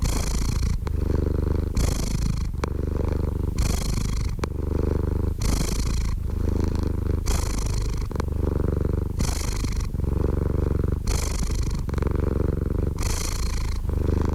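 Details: Steady, deep cat purr over fourteen seconds, the rumble pulsing in regular breath-driven cycles about every 1.6 seconds, constant volume and no background noise.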